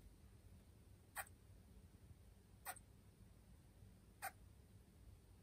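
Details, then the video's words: Female Senegal galago (bushbaby) kept as a pet, calling repeatedly at an object that looks like her from behind, apparently mistaking it for an animal. Three brief, clicky chirps, evenly spaced about one and a half seconds apart, over quiet room noise. "ショウガラゴ プラム 鳴き声"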